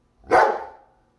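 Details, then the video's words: German Shepherd reacting to the mailman and delivery drivers from UPS and FedEx: a single loud, sharp bark that fades quickly. "German Shepherd dog funny reaction to mailman UPS and FedEx"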